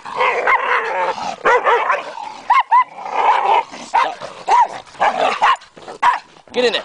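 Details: Two dogs, Athena and Lai Xi, in a fight that began over a toy; sharp yelping barks roughly every half second between snarling bursts, with a person shouting to get in the house.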